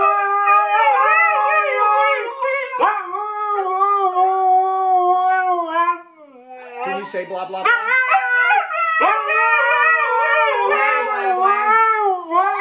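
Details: A husky dog howls and yowls in wavering, harmonic tones. A quieter, choppy break with lower broken sounds comes midway before loud, warbling howling resumes.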